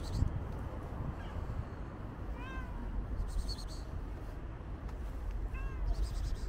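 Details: Two short, curving meows about three seconds apart from a calico cat with white paws, set against a steady low background rumble.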